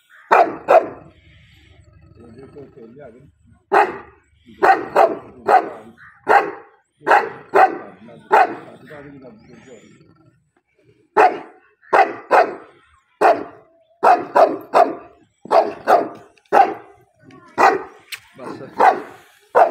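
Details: Dogs fighting, barking repeatedly in loud harsh bursts, often in quick pairs or triplets, continuing for almost twenty seconds with only short pauses and some low murmuring between volleys.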